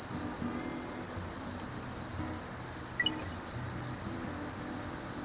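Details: A Sasakiri katydid (Conocephalus melaenus) keeps up an even, piercing trill with no breaks, topped by a thin rapid ticking shimmer, over quiet low background murmur.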